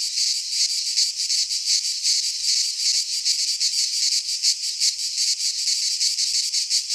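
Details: Midsummer cicada chorus recorded in Greek pine forest, an unbroken shrill rasping buzz with fast irregular pulses layered from many insects, no birds or people heard.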